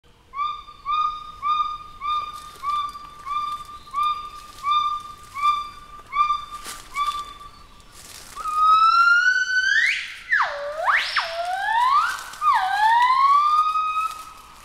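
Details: Gibbon. A gibbon's song starts with a run of pure, even hoots, about two each second. It then swells into loud, sliding whoops that swing sharply up and down, with a rich, ringing tone.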